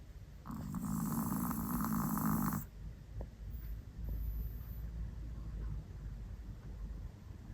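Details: Pet Chihuahua, dubbed a 'monster', snoring loudly indoors: a broad, rasping snore lasting about two seconds, then softer, fainter breathing rumbles for the rest of the stretch.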